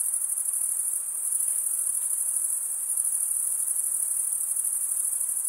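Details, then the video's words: Chorus of crickets, usually males, chirping by wing stridulation: a steady, thin, very high buzzing trill with faint rapid pulsing, continuous from start to finish. "cricket sound"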